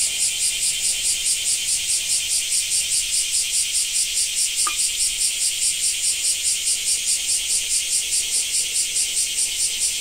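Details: Cicada in Japan, producing a regular pulsating high buzz, each throb about 0.4 seconds apart, very even and unbroken, with a single faint tick midway.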